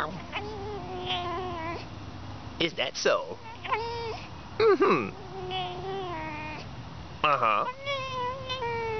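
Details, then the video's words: Playing pet fox on a winter morning, long drawn-out wavering whines alternating with sharp yelps and chattering cries, interleaved with a person's voice. "Домашняя лиса играет"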